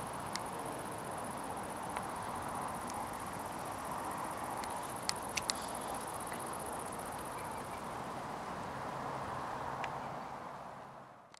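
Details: Several wild Great Green Bush-Crickets singing at Itchen Valley Country Park, Southampton. A continuous, very high, shrill buzz runs steadily without a break, with a few sharp clicks and faint handling noise.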